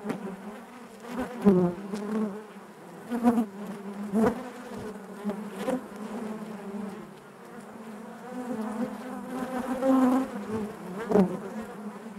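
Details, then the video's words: Honey bees buzzing inside their hive: a dense, steady drone with a low hum and overtones, swelling and fading as individual bees pass close, with brief louder bursts around one, three and eleven seconds. "bees therapy hive natural buzzing sound"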